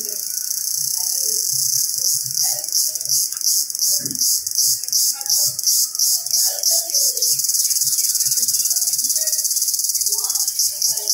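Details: Jungle-dwelling Indian cicada giving a shrill, pulsing drone, beating in quick regular throbs for the first half before settling into a steady hiss, with scattered low voices and chirps beneath.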